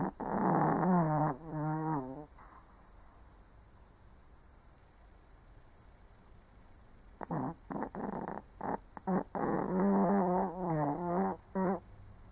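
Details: Sleeping old Shih Tzu gives a wavering, buzzy snore at the start. After a quiet pause, a run of choppy snorts and rattling inhalations follows, bunched irregularly.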